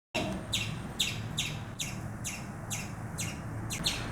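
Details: Frightened squirrel giving sharp, bright chirps repeated steadily about twice a second, each a quick broadband note, over a low steady background rumble.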